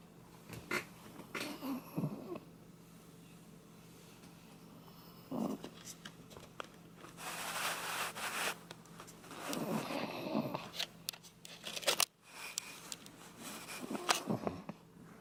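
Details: Sleeping Shiba Inu Koume snoring indoors, a man-like snore of harsh snorting, wheezing breaths in irregular bursts, some long and noisy, separated by quieter pauses and small clicks.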